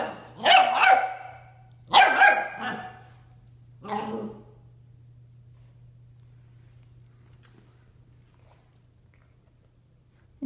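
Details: Nine-week-old Bernese Mountain Dog puppy at 7 a.m. pestering a ten-year-old dog to play; three sharp, harsh barks about a second apart, then quiet with a steady low hum.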